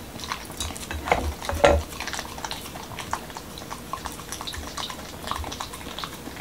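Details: Momo the Pembroke Welsh Corgi, a Washington DC dog, chews a taco with beef and cucumber in a wholewheat shell; sharp crunching bites early, then softer scattered smacking and mouth clicks indoors.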